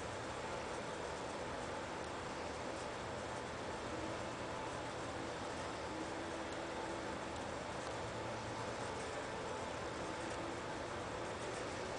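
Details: Constant broadband hiss and rumble fills the recording, with no animal sound heard.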